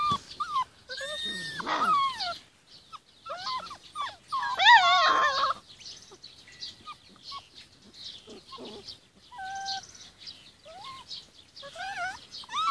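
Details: Forty-six-day-old Rhodesian Ridgeback pups out in the garden under their mother's care, giving wavering whines and short yips, a loud tangled burst around the middle, then scattered thin whimpers.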